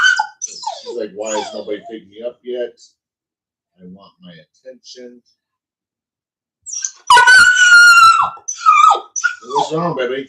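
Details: Cane Corso, the Italian Mastiff, at a kennel an hour west of Nashville, Tennessee: a sharp, high whining yelp with rising and falling tones near the end, after and between stretches of human talking.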